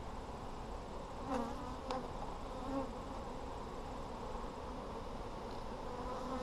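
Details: Dense low buzzing of a honey bee colony in an Apimaye hive, opened on July 23, 2020 to look for brood; a couple of faint taps sit early over the constant hum.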